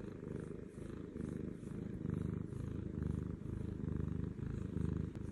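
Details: Contented lap cat named Butters purring close up: a low, rattling drone that rises and falls in breath-paced waves about once a second, with no other sounds.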